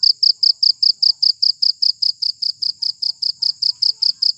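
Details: Cricket chirping used as a rat deterrent, bright high-pitched pulses repeated evenly about five per second, each a brief buzzy trill, with little else heard.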